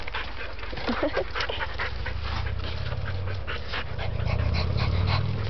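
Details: Dante, a pet dog from a household pack, pants in quick rhythmic breathy bursts while he cannot get to his toy; a person repeatedly urges him to find it and get it, over a low steady hum.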